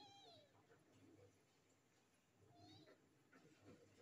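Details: Three stray kittens come across on the street. Two faint, thin meows slide downward, about two and a half seconds apart, over a quiet low background hum.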